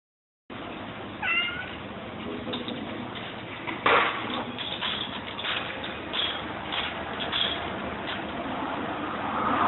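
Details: A large group of hungry domestic cats meowing together; short rising-falling meows break through a dense, steady background rustle and hiss, with several overlapping voices and a sharp clatter near the middle.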